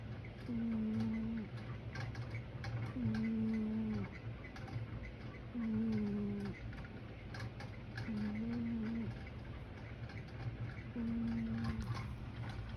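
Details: A sleeping pet cat snores in slow, drawn-out, droning breaths, five in a row about every two and a half seconds. Each snore is a low, even tone. A steady ceiling fan hums underneath.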